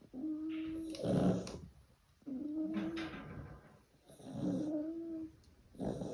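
Staffordshire Bull Terrier puppies give drawn-out, whiny growls mixed with rough, breathy yips as they play.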